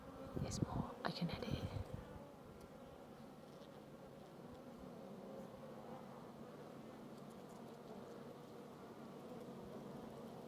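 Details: Honey bees in their hive: a couple of seconds of clattering handling noise, then a smooth, even, continuous droning hum.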